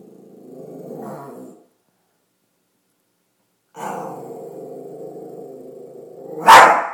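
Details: Chihuahua acting tough, a male dog presented as a tough guy, growling in low rumbling stretches: a brief growl, a pause of silence, then a longer sustained growl ending in a sharp yap.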